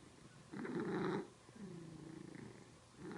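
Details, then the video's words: Cat purring while making a strange extra sound: a loud breathy buzzing burst, then a softer rising-falling nasal tone, and another loud burst at the end, over a low purr. "Cat Makes Strange Sound While Purring"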